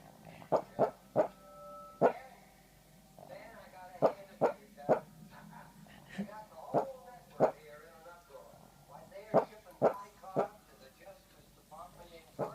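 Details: Small dog barking while asleep, 9 February 2014: a long run of soft, clipped woofs, often doubled, with wavering whimpering tones between them and a faint background hum.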